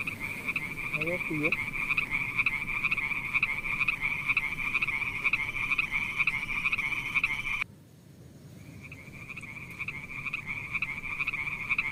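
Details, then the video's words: Pond frogs giving a dense, high-pitched pulsing trill that runs on for over seven seconds, breaks off suddenly into near silence, then returns as a softer continuous trill. "Funny little frog sounds"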